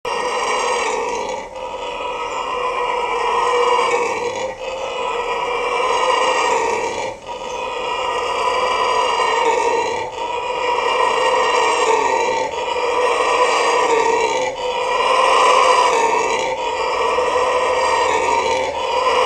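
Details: Red howler monkey at Trinidad and Tobago Zoo roaring without pause: a deep, hoarse, rasping howl that swells and eases in surges every two to three seconds, loud and steady throughout.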